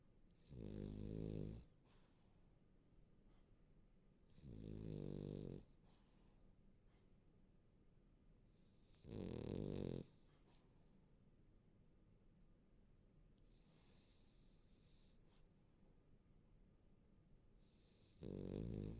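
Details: French Bulldog asleep and cozy, snoring steadily indoors: four deep, rattling snores about every four to five seconds, each lasting roughly a second, with soft breathing between them.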